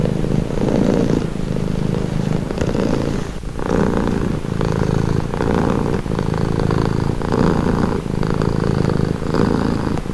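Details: Cat purring contentedly, a dense low vibration in steady alternating breath phases of about a second each, uninterrupted for the whole stretch with no other noise.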